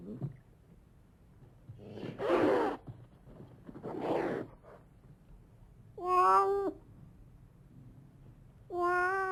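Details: Cat giving two harsh, breathy hissing snarls about two seconds apart, then two short, clear meows, with quiet gaps between each sound; from a collection of cat meows, snarls, hisses, moans and cries.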